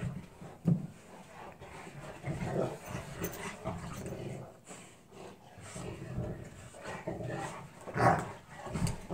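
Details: Pair of Newfoundland dogs in play fight, low throaty growling running almost without pause, gruff surges rising to a louder snarl near the end.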